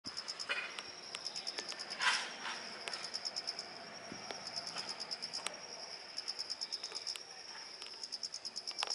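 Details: Autumn insects singing in a garden: a high, thin, steady trill with a regular pulsing beat throughout, one louder knock or click near the start, and faint background noise.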